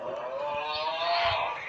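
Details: A pet dog making a funny drawn-out vocal noise: a long harmonic tone held around one pitch for well over a second, slightly wavering and rising toward the end, with broad airy overtones.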